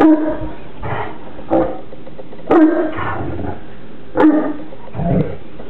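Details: Two Newfoundland siblings, Burley and Miss Priss, wrestling in play at home; rough growling bursts and short barks come about every second or so, each with a sharp onset and low rumble, over steady background hiss.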